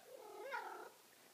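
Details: Enormous Maine Coon cat getting a belly rub: a single soft, tonal chirping call under a second long, gently wavering in pitch, quiet against the room. A person speaks just before and after.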